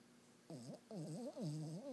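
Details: Small pet dog weighing 10 lbs snoring heavily in its sleep: a brief wavering, nasal tone followed by two longer warbling snores that rise and fall in pitch, in a quiet room.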